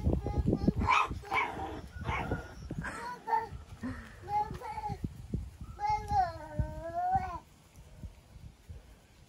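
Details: British Labrador Retriever puppies, four and five weeks old, from litters whelped in May 2020; a woman talks warmly at first, then a single long, wavering, high whine rises and falls for over a second before fading to quiet.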